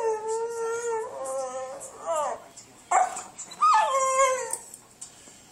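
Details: Foster puppy Brandy wanting another dog's bone, producing drawn-out whining howls with clear harmonic bands, sliding and wavering in pitch, then sharp rising yelps and a final quavering whine over a quiet background.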